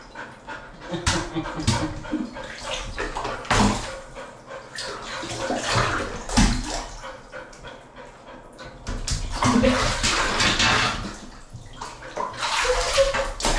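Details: Golden Retriever named Lulu taking a cold-water bath on a hot day, breathing in quick uneven puffs amid splashing and sloshing water, with a person's voice speaking now and then.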